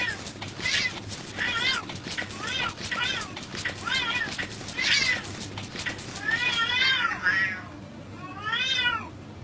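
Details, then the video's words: Cats and kittens meowing, a run of quick arched meows followed by two longer, drawn-out wavering meows near the end, over a constant low background hum. "Funny Cats and Kittens Meowing Compilation"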